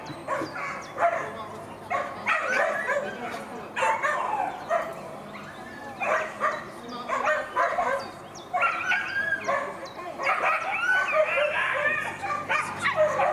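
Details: Female classic Whippet during racing runs at Lednický zajíc: repeated bursts of shrill excited whines and yips, wavering in pitch, separated by short pauses, with some human voices.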